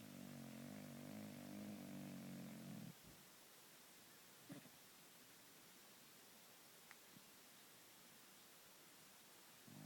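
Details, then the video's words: Cat purring and snoring in its sleep: a steady, low, buzzing rumble for about three seconds that stops abruptly, followed by near-quiet with a couple of soft clicks. "Snoring and purring cat"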